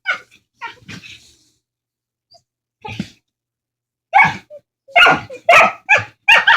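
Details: Two dogs quarrelling vocally over a bone with funny talking noises: scattered short yowls and grunts, a quiet gap, then a run of loud, rough, barking moans in quick succession.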